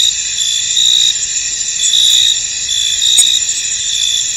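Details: Crickets in a misty, foggy field: a dense, unbroken high-pitched chorus of many insects, with brighter trilled bursts rising out of it roughly once a second; no other sounds stand out.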